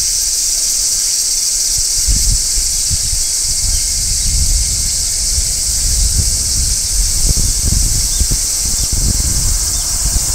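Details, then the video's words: Large brown cicada singing on a tree in midsummer, a steady high sizzling shrill held without a break, with low thumps and rustling beneath it. "Cicadas Singing in Midsummer | Large Brown Cicada"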